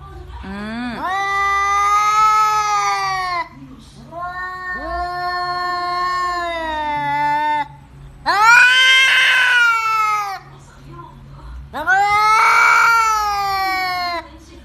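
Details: Domestic cat making unusual sounds indoors: four long, drawn-out yowls of about two to three seconds each, the later two louder and harsher, separated by short quiet gaps with a faint low hum.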